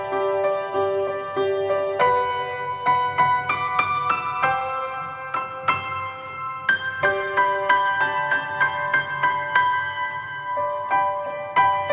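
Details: Soft, gentle piano music plays throughout with no other sounds.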